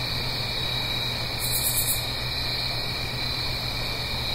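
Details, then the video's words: Fall crickets at night in the Blue Ridge Mountains near a gentle stream: continuous high, pulsing trill from many insects, a short sharper buzzy burst midway, and a low steady background rush. "Autumn Crickets - 9-Hour Sleep Sound - Fall Cricket Song"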